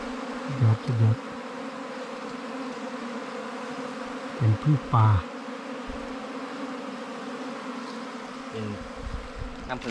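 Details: Bees buzz at a wild honey hunt targeting ground and cavity nests, a continuous low hum with even tone, punctuated by several heavy thumps of handling the nest.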